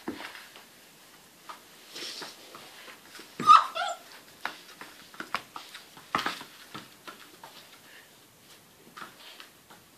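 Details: Puppies indoors giving thin, high whimpers and short yips, scattered irregularly with one louder squeal midway, among soft shuffling and knocking sounds in a small room.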